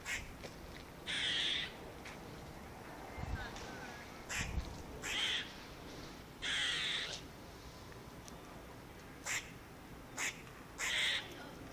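A squirrel gives harsh, raspy bursts, each about half a second long, repeated at uneven intervals.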